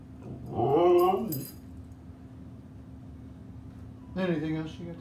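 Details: Husky dog being talkative indoors, talking back to its owner with two drawn-out, wavering harmonic howl-like vocalizations, the first about a second long, the second shorter, separated by quiet with a steady background hum.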